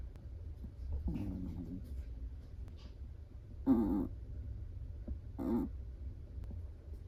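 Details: Soft snoring from a sleeping Chihuahua: three brief, quiet nasal rasps spaced a couple of seconds apart, separated by near-silence and a faint low hum.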